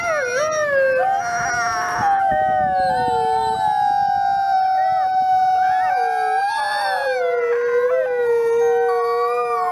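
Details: Gray wolves howling together at the Wolf Conservation Center, South Salem, New York, captive-born Nikai among them, Christmas Eve. Sustained tonal howls dip, waver and level off while several voices overlap at different pitches, with no pauses between calls.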